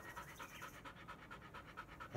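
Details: Black Labrador Retriever named Bee, indoors during shedding season on a hot day, being brushed to remove loose undercoat; quick breathy panting in steady rhythmic pulses, roughly six per second, close and clear, with no other sounds.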